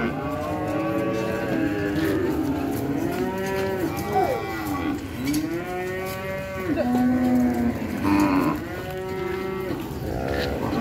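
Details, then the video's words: Repeated cattle moos, rich and harmonic, overlapping one another almost continuously, some calls arching up and down in pitch, with a few clicks and knocks in the background. "COW VIDEO , COW SOUNDS"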